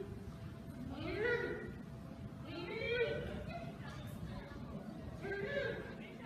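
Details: Captive mother giant panda Mei Xiang at Washington's National Zoo searches for her separated cub Bei Bei, early 2017. She gives repeated rising, wavering wails about every two seconds over a constant murmur of background noise.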